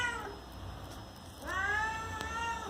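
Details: Pet cat meowing to ask for a door to be opened: a short falling meow at the start, then after a pause a longer, clear, harmonic-rich meow that rises and holds steady, over a low background hum.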